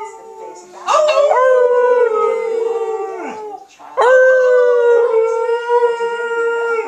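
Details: Trixie the Alaskan Malamute howls along with her owners: after a quiet start, two long howls, each opening with a sharp upward sweep into a steady, slowly falling tone lasting about three seconds.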